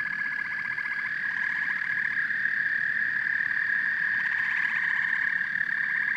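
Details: Frogs and toads calling together in a dense chorus: a steady, high, ringing drone overlaid with rapid pulsed trills that swell and fade in overlapping waves, with low rumbling background noise throughout.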